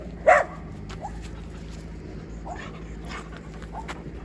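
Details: Two Siberian Huskies, overexcited after a stay at a dog hotel, on a long walk home: one sharp loud yelp near the start, then faint brief whines and yips over a steady low background hum.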